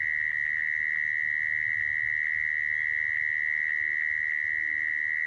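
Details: Continuous churring of a mole cricket, a sound used for trapping crickets. One shrill buzzing tone holds level throughout with a faint higher overtone, and soft low rumble lies underneath.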